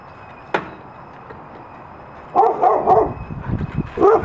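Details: Excited dogs full of energy, among them Covi the German Shepherd Husky, Peaches the Wolamute and Mango the Great Pyrenees mix, give a sudden sharp sound, then bursts of loud harmonic barks and yips from about two and a half seconds on.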